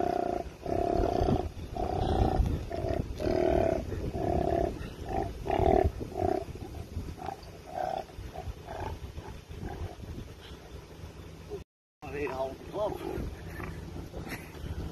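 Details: A koala being rescued from a road by a man growls in a run of harsh, rasping bursts, each a deep rumbling snarl.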